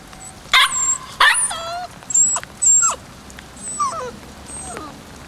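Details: White male Kishu puppy, 56 days old, born 17 January 2020 and filmed 14 March 2020, gives two sharp high-pitched yips a half-second apart, then softer rising whines; thin high whistles sound faintly behind.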